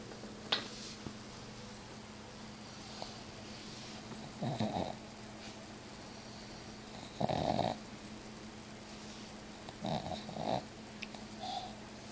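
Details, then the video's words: Sleeping pet cat snoring indoors, recorded on an Android phone: low rasping breaths in three soft bursts about every three seconds, each a short rough snore, with a steady low hum in the background. "My Cat Miss Piggy snoring..."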